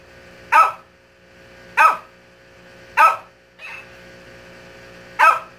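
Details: A Shih Tzu barks at a mimic toy in short, sharp, fairly high-pitched yaps about a second apart at an uneven pace, with one quieter, softer bark-like sound between the louder ones.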